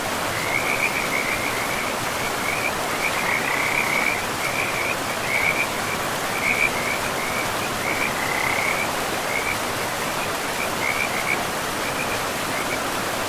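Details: Rapid, high trilling from frogs at a forest river comes in clustered runs with brief gaps, while the river's steady rushing noise fills the background.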